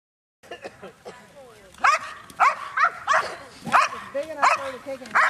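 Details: Chaos, a 7.5-year-old female Belgian Malinois competing in French Ring decoy work at the 2009 NARA Championships, guarding an object and attacking: sharp barks roughly every half second, growing louder, mixed with a man's voice.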